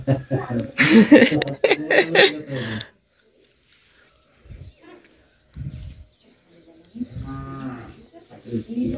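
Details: Cattle at a Qurbani cattle market in Bangladesh, with a loud moo over the first three seconds, then quieter lows and men talking nearby.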